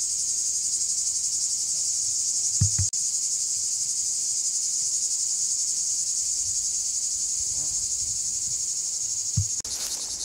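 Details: Continuous shrill drone of cicadas in woodland of the Alpes-de-Haute-Provence, one sitting on a tree, with rapid even pulsing; a few low knocks and handling thumps break in briefly near the middle and end.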